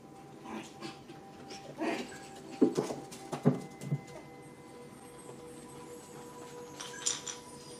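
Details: Six-week-old puppies from Rainy's and Fancy's litters playing together in a pen: scattered short yips and growly barks in brief bursts, clustered around the middle, with a steady faint electrical hum underneath.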